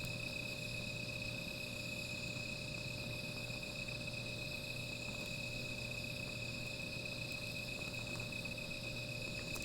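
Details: Insects at night near a small fire produce a continuous, even high-pitched trill that never pauses, layered in several bright tones, with a faint low hum below and no other clear sounds.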